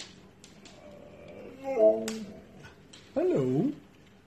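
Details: Pet Siberian Husky answering its owner's "hello" with two short, tonal, yodel-like vocal sounds. The last one bends up and down like a spoken greeting. The owner's speech is heard between them in a small room.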